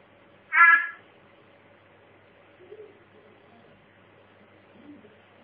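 A mossy frog gives a single brief, bright chirp, then a couple of faint, low murmurs.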